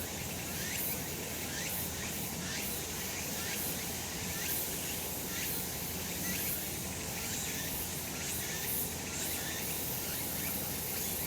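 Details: Cicadas in full summer voice on a sun-drenched mountain: a steady high-pitched shrilling chorus with gentle repeated pulses near once a second and low background hum.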